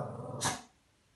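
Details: Shih Tzu dog playing with a new pillow, giving a low growl followed by a short sharp huffing bark-like burst, then quiet.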